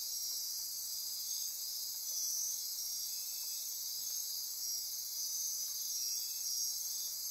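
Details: Midnight insects chorusing in Osa Peninsula rainforest, Costa Rica, near Corcovado National Park; a steady wall of high-pitched buzzes and trills with overlapping pulsing streaks, unbroken and even in loudness.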